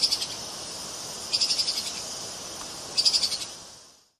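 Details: Treeshrew vocalizing in quick high-pitched chirp bursts, each a fast run of about six clicky notes that fade toward the end, repeated roughly every one and a half seconds against faint background hiss.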